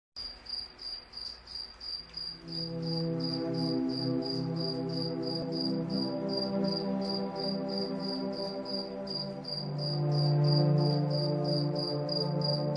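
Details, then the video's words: Crickets at night, chirping in short, high, evenly spaced pulses about three or four per second, over soft, sustained calming music with low, warm chords that swells gradually. "Cricket Sound"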